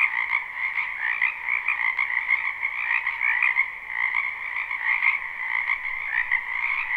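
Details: Live recording of abundant frogs croaking in a spring wetland behind a house; a continuous, swelling and fading chorus of pulsed trills in two stacked pitch bands, with nothing else audible.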